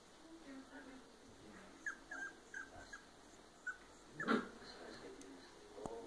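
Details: Female red Toy Poodle puppy of Argentine line at a breeding kennel, giving a run of short, high, squeaky whimpers spaced under a second apart, then a louder, harsher yelp-like burst near the end, over a faint steady background hum.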